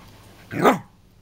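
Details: Scott, a pet dog who gets angry when his owner mimics him, gives one short, sharp bark with a quick burst and fast fall-off, followed by quiet.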